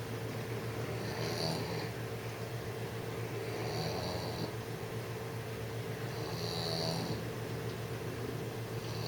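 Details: Six-month-old English bulldog snoring while trying to sleep: raspy, hissing breaths repeat roughly every two and a half seconds over a steady low electrical hum.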